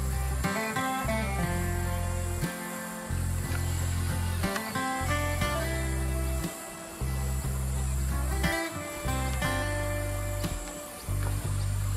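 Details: Plucked guitar music with a steady low bass plays throughout, with no animal calls to be heard.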